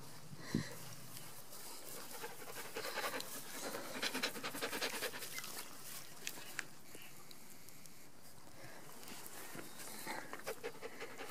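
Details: Monte, a five-week-old Rat Terrier puppy, pants in quick, breathy, irregular puffs, noted as quieter and more laid back than his littermates; soft rustling and handling noises run through the clip.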